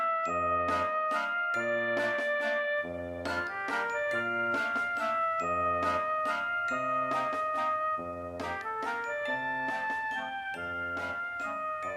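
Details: Bright, bouncy instrumental music with chiming melody and a bass line.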